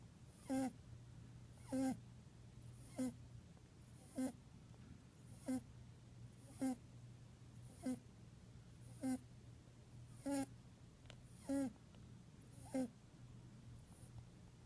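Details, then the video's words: Small male pet bunny asleep during a nap, giving soft rhythmic snoring snorts, about eleven evenly spaced breaths roughly every 1.2 seconds, each a brief buzzy rasp, with a constant low electrical hum underneath. "Snoring Bunny"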